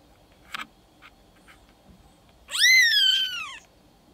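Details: Seven-day-old silver Maine Coon kitten at a Tokyo cattery gives a single loud, drawn-out mew, rising sharply then sliding slowly downward over about a second, preceded by small rustling sounds indoors.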